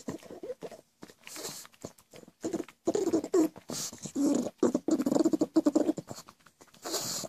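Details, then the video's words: Pet pug that makes goblin-like noises all day: a run of rough, gurgling snorts and grunts in short bursts, with brief quiet gaps between them. "CRAZY GOBLIN PUG.. WORLDS WORST SOUNDING DOG.."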